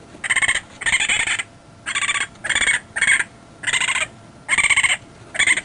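A raccoon gives harsh, raspy squalls in short bursts, repeated about every half second to second.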